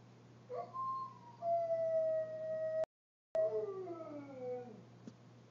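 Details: Pet dog howls in response to an ice cream truck, phone recording: drawn-out tonal howls, one held steady for over a second, then a long wail sliding downward, with a constant low electrical hum beneath.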